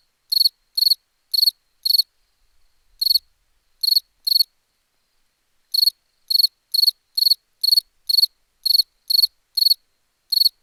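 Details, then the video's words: A cricket sings sharp pulsed chirps in bursts, pauses for about a second and a half, then returns with a faster, denser run of chirps. No other sounds are heard. "Cricket sound"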